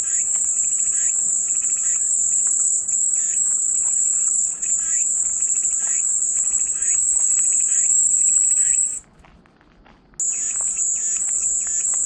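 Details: Cicadas buzzing as peaceful white noise: a steady high-pitched drone that cuts out to near silence for about a second around nine seconds, then resumes, with faint bird chirps behind.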